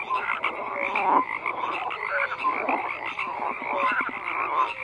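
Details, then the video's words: Many frogs croaking together, a continuous raspy wall of calls with occasional short whistled-sounding notes standing out, no other sounds. "FROGS CROAKING"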